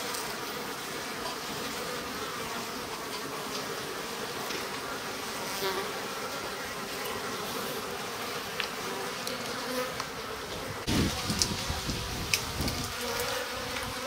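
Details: Japanese honey bees in a stacked-box hive in spring, drones present, sliding bottom board open: a continuous swarm hum with tonal bands, later broken by several handling knocks and clicks.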